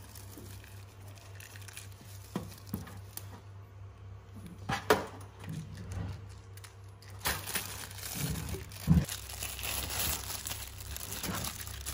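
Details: Indoor crinkling and rustling, with scattered knocks and a steady low hum.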